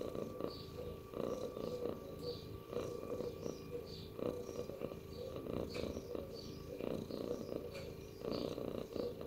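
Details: Pet cat giving a continuous rumbling purr, pulsing in short throbbing waves with its breathing, a constant soft mechanical hum underneath.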